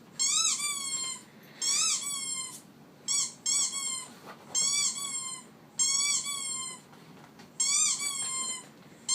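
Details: A pet dog's squeaky noise: about seven bright, whine-like squeaks, each swelling upward then sliding down, spaced irregularly at one to two second gaps, with faint background hiss.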